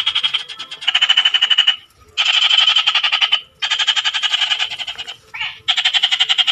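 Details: Four rasping frog trills, each a quick string of high pulses lasting over a second, separated by short pauses, with one brief softer burst tucked in near the end.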